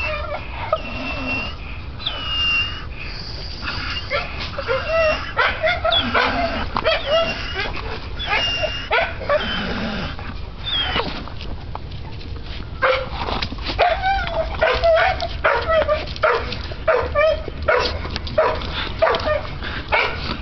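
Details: An American Bull Terrier on a spring pole gives excited whines, yips and short grunting barks in quick succession.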